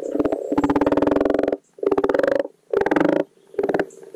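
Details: Spring spawning chorus of common frogs, Rana temporaria, at a garden wildlife pond; low purring, rapidly pulsed croaks in bursts of about one second, separated by short quiet gaps, overlapping callers.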